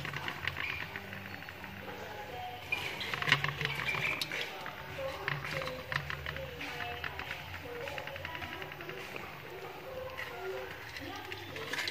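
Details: Background music and a voice fill the recording; no clear animal call stands out.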